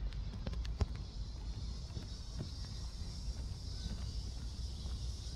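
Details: Seoul Innovation Park cicadas around 11 am on 11 July: an even, high-pitched droning hiss persists behind strong low-frequency wind noise and a few sharp handling knocks early on.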